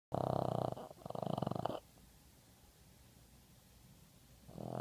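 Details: Boston terrier from Seattle snoring while asleep: two loud, rough, rattling snore breaths with a fast pulsing texture fill the first two seconds, then a quiet pause of steady breathing before another raspy snore begins at the end.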